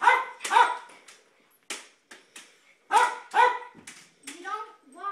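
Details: Jack Russell Terrier barking excitedly while kids play with light saber swords indoors; sharp, harmonic barks in clustered bursts of two or three with short gaps, ending in higher, whinier yelps, with children's voices mixed in.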